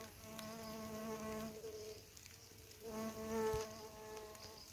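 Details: Bumblebee visiting wild flowers where around forty bees have fed every day for a couple of weeks; two close, loud humming passes with a steady low pitch, each lasting about one and a half seconds.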